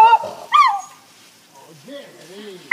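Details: Excited Jack Russell terrier crossed with beagle barking at a purebred beagle down the road; two loud harmonic bark-howls open the clip, then quieter whining tones and a person's voice, a final bark cut off at the end.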